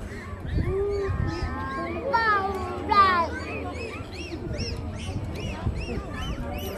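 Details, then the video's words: Dolphins in a show at Ocean Adventure, Subic Bay, Philippines, vocalising through the blowhole: sweeping whistles, buzzy rasping squawks and a quick series of arched chirps, over steady crowd murmur. "And you know, they also use the blowhole to talk, using a variety of clicks, squeaks, squawks, and whistles. Listen again."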